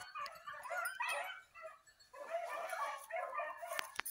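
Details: Basset Fauve de Bretagne hounds training on wild boar in an enclosed park in 2023 give high, yelping barks in quick, overlapping bursts.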